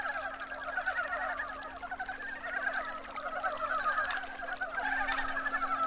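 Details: Early-spring chorus of brown frogs freshly out of hibernation beneath stream stones, males trying to mount females; many overlapping low, pulsed clucks run steadily, with two brief sharp knocks near the end.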